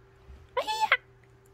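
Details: Sleepy calico cat Angttu, kept indoors, annoyed at having her paws touched, gives one short two-part meow lasting about half a second, with a rising start and a brighter, higher ending over a steady low room hum.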